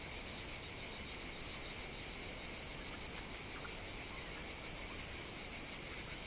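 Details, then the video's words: Summer cicada chorus recorded on the Greek island of Evia: a steady, sizzling high-pitched buzz from many insects, constant in loudness, with faint soft ticks underneath. "Cicadas Sing On the Greek Island of Evia"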